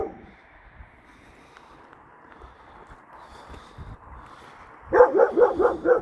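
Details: Outdoors, the Kangal called Nazo reacts to an unfamiliar female dog that came into the neighbourhood. After a quiet stretch, five sharp, evenly spaced barks come in quick succession.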